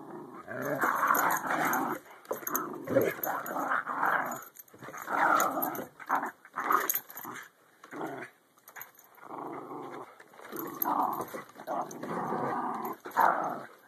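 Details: Playful growling from Jack Russell terriers and Belgian Malinois romping on a deck: rough, throaty growls in long bursts of one to two seconds, broken by brief silences, rising into snarling peaks.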